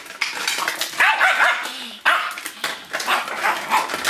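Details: Yorkshire Terrier named Titan barking while playfully attacking a cup: sharp, high-pitched yaps in quick bursts, some with a whiny rising edge, a gap near two seconds, then more scattered barks.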